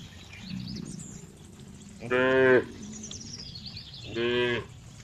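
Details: Cow uttering two half-second, bright, nasal moos about two seconds apart over a low hum, with faint high bird twittering behind.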